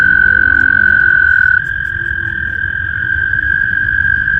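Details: Frogs in a vernal pond in spring, gathered for mating: a steady, high, unbroken trill holds one pitch throughout, dips slightly after a second and a half, over a soft low rumble.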